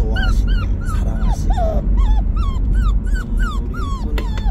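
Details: Whimpering puppy Bandalgom, being taken to a new owner: rapid series of short high whines, each bending downward, tumbling one after another with steady low rumble beneath.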